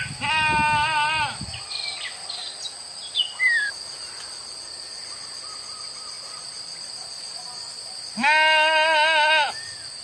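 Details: Village goats released to graze on wild grass in open fields from morning to evening; two loud wavering bleats, one at the start and one near the end, with a steady high electrical whine throughout.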